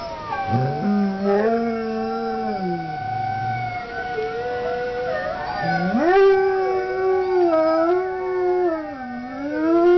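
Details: Pet dog giving two drawn-out howls, each starting low and swooping sharply upward, then holding a wavering, slightly falling tone with rich stacked harmonics; a short pause separates them.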